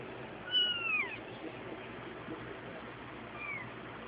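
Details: Ten-day-old kittens playing; one gives a clear, thin, drawn-out meow that slides downward, followed about three seconds later by a shorter, fainter falling mew, over a steady soft background hiss.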